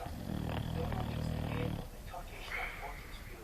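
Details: Sleeping English Bulldog named Sofia snoring: a long low rasping snore with dense low buzzing lasting over a second, then softer breathy sounds and faint higher noises.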